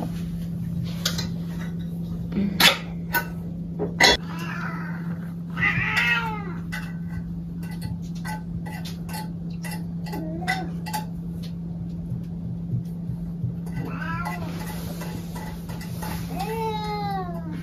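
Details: Pet cat meowing indoors; several short, bending meows scattered through the clip, growing more frequent toward the end, over a steady electrical hum with clicks, knocks and handling noises.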